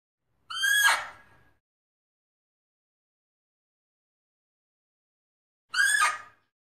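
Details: Fea's muntjac calling: two short, harsh barking squeals, each under a second, with a downward-bending, strongly harmonic tone, separated by about five seconds of silence.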